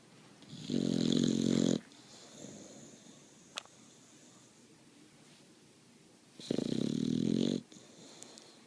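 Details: Snoring Boxer puppy: two long, harsh, buzzing inhaled snores roughly five and a half seconds apart, each just over a second, separated by quiet breathing and a single small click.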